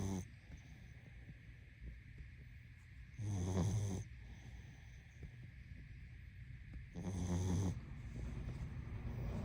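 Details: Sleeping pug snoring indoors: two long, low, rasping snores near the third and seventh seconds, each under a second long, separated by quiet breathing over a steady faint hum.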